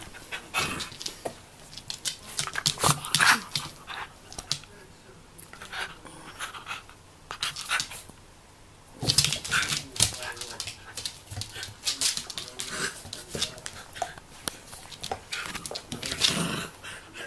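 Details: Three-year-old female Jack Russell Terrier struggling with a pot-shaped treat puzzle toy, recorded 18 October 2014; rapid rhythmic panting with occasional soft whimpers, interrupted by sharp knocks and scraping as the toy is pushed around.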